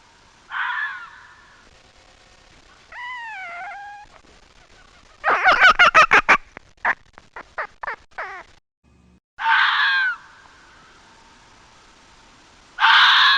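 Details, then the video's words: Fox calling with a mix of sounds: a raspy scream, a rising-falling whine, then a fast burst of sharp yapping clicks that slows and fades, followed by two more harsh screams. "Sounds of fox."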